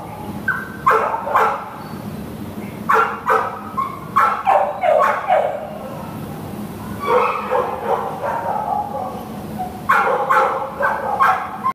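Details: Shelter Pit Bull terrier available for adoption, barking in irregular clusters of two to four quick barks separated by brief pauses, some yelping edges, against a continuous low kennel drone.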